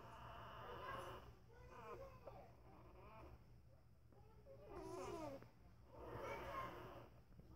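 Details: Five-day-old corgi puppies, born November 6, 2015, whimpering indoors: thin, wavering squeals that bend up and down in pitch, in several short bouts, over a low steady room hum.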